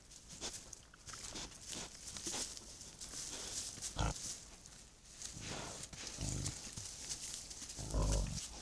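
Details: Wild boars caught by a camera trap at night in thick fog; a few short, low grunts near the end stand out against constant hiss and rustling.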